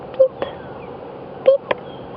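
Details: On an evening sunset safari drive, a mongoose gives faint, tiny high-pitched beeps with soft clicks in between. It is an insect-like contact call, not an alarm call.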